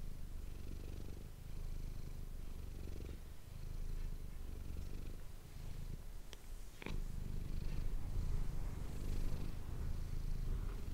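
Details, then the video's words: A domestic cat named Manis purrs into an ASMR microphone. The low, continuous rumble rises and falls with her breathing over several cycles, broken near the middle by a couple of sharp clicks or rustles. "ASMR cat purring ❤ Manis die aan het spinnen is"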